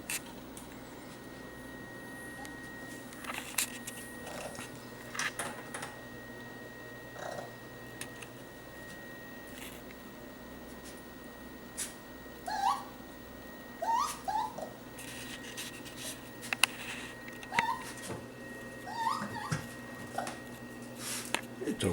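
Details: Young raccoon lost in a kitchen, early July 2013, giving short, high, rising chirps in a loose series over several seconds, separated by quiet gaps, with scattered clicks and steady indoor room hum.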